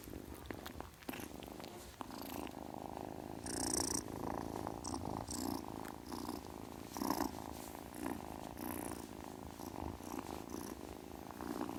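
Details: Steady vibrating purr of a kitten across the whole stretch, joined by a few short airy hissing bursts, especially one strong burst early on and others midway.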